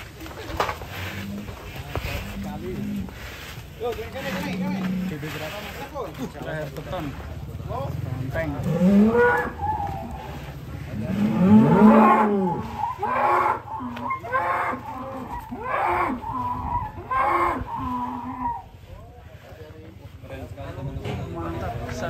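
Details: Large sacrificial cattle being loaded onto a truck in 2022 give deep, drawn-out moos that rise and fall, several in a row, mixed with people talking, clapping, music and vehicle noise.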